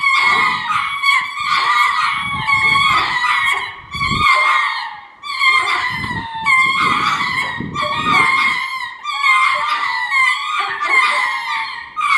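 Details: At Hitachi Kamine Zoo, Japan, ring-tailed lemurs give courtship calls: loud, harmonic, yowling phrases of one to two seconds, repeated with brief pauses, over soft low rumbling.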